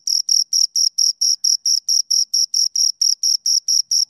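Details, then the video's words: Two crickets chirping in a steady series of short, high-pitched pulses, about four to five bursts each second, evenly spaced and unbroken, with no other sounds in the background. "Two Crickets Chirp Sounds"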